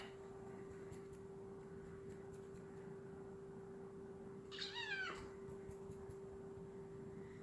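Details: A house cat chasing a laser gives a single short meow that slides downward in pitch midway through, with a low steady hum underneath and faint light ticks around it.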